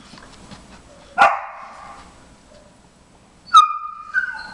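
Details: Jimmer, a 4.5-month-old briard puppy, wants to come help with a nosework game. Two loud barks are spaced about two seconds apart: the first is short and harsh, the second is drawn out into a high, whining tone.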